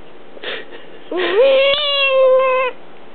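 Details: Female pet cat being held, whining in mild annoyance; a soft breathy sound, then one long plaintive mew that climbs and holds level for over a second before fading.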